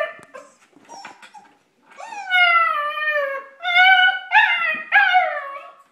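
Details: An 8-week-old female German Shepherd puppy, too scared to come down the stairs, gives long high whining whimpers that slide downward, several in a row after a few faint yips, in a small indoor room.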